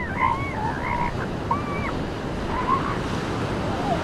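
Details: Seal pups on a beach: several wavering, wailing calls with a harmonic overtone, some rising and falling, spaced through the clip over a steady wash of breaking waves and surf.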